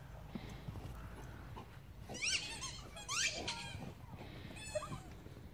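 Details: Guinea pigs in a herd kept with Bobtails give high, sharp squeaks in quick bursts over a low background rumble.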